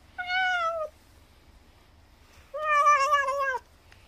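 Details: Weak, elderly feral cat at a countryside house pleading for more churu after eating: a short falling meow, a pause of over a second, then a longer, louder, richer meow ending in a downward slur.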